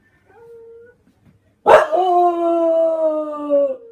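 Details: An English Bulldog howls along with dogs in a video, giving a long, steady howl held on one note and sliding slightly lower toward the end.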